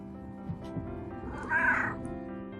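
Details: Pet domestic cat, one of two rescued cats adopted in 2017, gives a single short rising-falling meow just after midway, against steady background music and a few soft low thumps.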